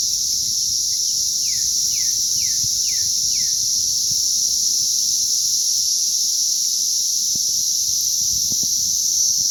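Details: An unbroken shrill buzz from a May 20th 2034 cicada hatch. Near the start, a bird gives a short series of five downslurred notes, and faint ticks follow later.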